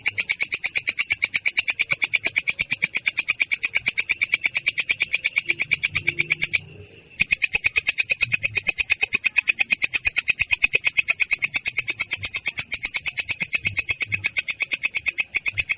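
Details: Katydid (belalang kecek) in a rolling "ngerol" song, described as clear yet coarse: a long, steady train of rapid, harsh, high-pitched rasping pulses, broken once by a short silence about halfway through.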